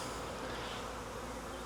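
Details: Honey bees of a wild swarm being caught from a tree branch during beekeeping work: a brief, thick, continuous hum, level and unchanging, filling the short moment.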